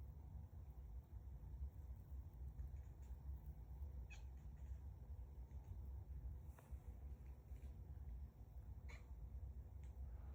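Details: Cat; chatter; excited chattering at insect prey while hunting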